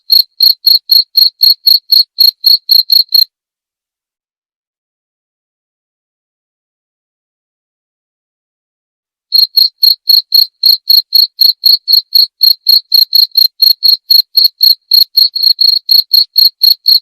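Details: Cricket chirps, rapid and piercing at about four per second, run for three seconds, then stop for about six seconds of silence before resuming in a long, steady train.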